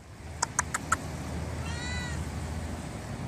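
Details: Stray cat living around a library, responding after being called by name, gives one short rising-then-falling meow with clear harmonics, preceded by a few sharp tapping clicks, over a steady low outdoor rumble.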